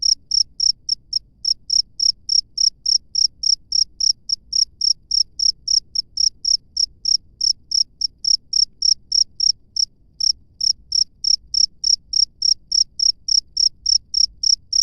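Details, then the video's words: Cricket in the wild chirping steadily: sharp, high, ringing pulses repeated roughly three per second for the whole stretch, one short hitch near the middle, over a quiet low background hum. "SUARA JANGKRIK LANGSUNG DARI ALAM BEBAS"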